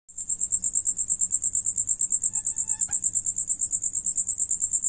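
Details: Crickets singing while another cricket eats: a steady, high, shrill chirring made of rapid pulses, about eight per second, with a brief faint squeaky tone midway and low background hum.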